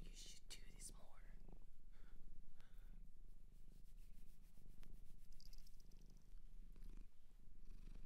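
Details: A shelter cat in Japan purrs steadily up close, a deep, even rumble running throughout, with faint whispered speech and light rustles near the start.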